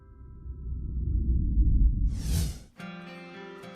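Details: A low rumbling swell, a bright whoosh, then sustained musical tones; no animal sounds.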